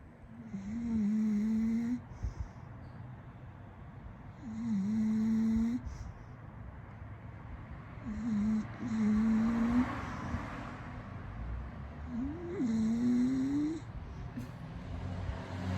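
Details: A female English Bulldog snores loudly with her tongue out after burrowing into her owner's lap, each rattling, nasal breath droning for a second or two.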